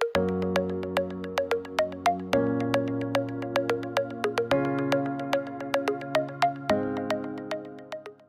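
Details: Synthesized electronic music with bright plucked notes repeating quickly over sustained low chords, and no animal sounds.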